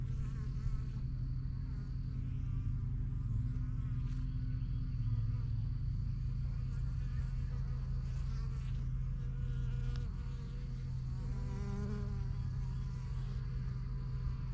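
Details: Bees at a backyard beekeeping hive, the strongest yellow hive among the first few started in spring 2023, flying in and out. A dense, steady low drone fills the air, with a thin, high continuous whine running above it.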